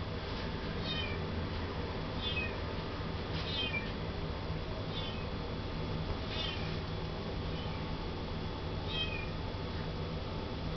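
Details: Male Russian Blue kitten, born 19 January 2012, in a pet shop in Yokosuka, Kanagawa, Japan, giving short high faint meows about every one to two seconds over a steady loud hum and room noise.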